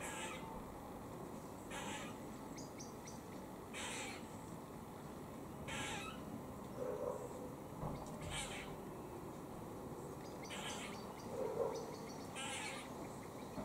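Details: While eating in Cambridge, UK, on 17 October 2020, a squirrel gives warning calls: rough, spaced bursts roughly every two seconds, with a couple of soft low murmurs and a hissing background.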